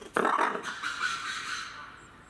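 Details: Red ruffed lemur at Saitama Children's Zoo, Japan, captive, filmed 3 February 2018: one harsh, raspy broadband shriek that starts abruptly, holds for about a second and a half, then fades into a quiet room-like background.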